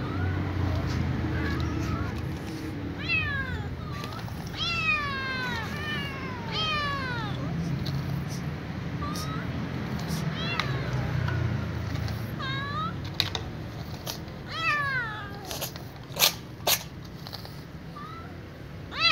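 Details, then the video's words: Ginger kitten at night, with her family, asking to be fed: a run of high, arched meows that rise then fall, often in quick bursts of two or three, over a steady low hum with a few sharp clicks near the end. "Ginger kitten meows at night asking to be fed with her family"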